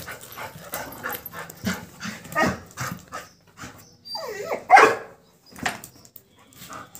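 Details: Labrador Retriever dog playing with a calf and being told to stop barking; a run of short, uneven yelps and whines with one loud wavering whine in the middle, amid rustling and handling noise.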